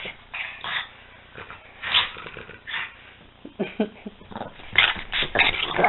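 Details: Two dogs, Peanut and Daisy, playing together indoors: short scattered growls, yips and whimpers in uneven bursts, with quiet gaps between and a man's voice faintly in the background.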